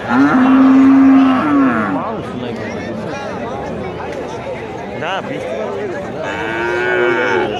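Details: Livestock market at Kuchiya Mara, where cattle and goats are traded, 26 May 2026: a loud, steady low moo lasting over a second, then a second longer bellow near the end, with people talking and market bustle between.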